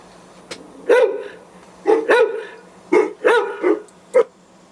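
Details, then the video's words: A guard dog barks to drive off intruders, firing rapid barks in paired bursts, some doubled into quick woof-woof pairs, about one per second, ending on a single sharp bark over a low background hum. "Decoy Guard Dog Barking to Scare Away Intruders"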